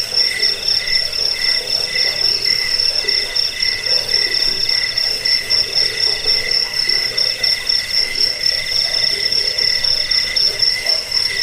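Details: Cricket (jangkik) track used against rats, for sleeping and as a tutor for cage birds: dense, rapid high-pitched chirping with a steady ringing top tone and a quieter buzzy undertone, no pauses.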